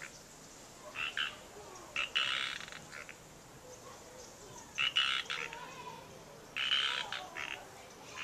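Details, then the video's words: Frogs in the wild at Natural Bridges State Park, Santa Cruz, California: repeated raspy croaking bursts, several broken into quick pulses, arriving roughly every second or two over soft hiss. "Frogs Talking Croaking Ranitas Cantando"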